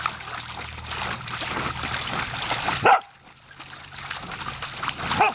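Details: Savannah, a female Samoyed, barks at a garden hose while playing in its water; one loud bark near the middle and another at the end, each cutting through continuous splashing and trickling water.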